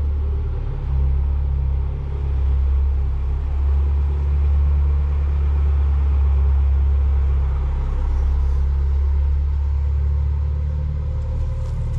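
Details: Steady, deep rumble of an idling vehicle engine fills the recording throughout, with no animal sounds.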